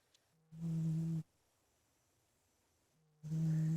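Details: Ninnie, a big male pet cat, snores while asleep in his bedroom: two low, steady humming snores, each under a second long, separated by quiet breathing.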